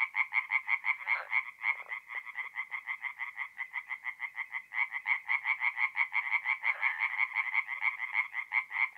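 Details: In mid-April, tree frogs sing after dark at a forest pond in North-East Italy. Crisp, rhythmic croaks pulse several times a second in a steady chain, and fainter callers join in behind.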